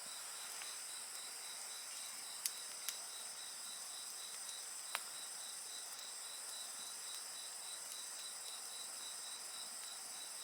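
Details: Insects singing at night beside a crackling bonfire: a steady train of evenly spaced high pulses over a continuous shrill, ringing drone, broken by a few sharp pops and snaps from the fire.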